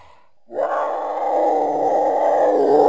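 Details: Mountain lion giving one long, harsh, raspy call. It starts abruptly after a moment of quiet and holds steady, swelling slightly louder toward the end.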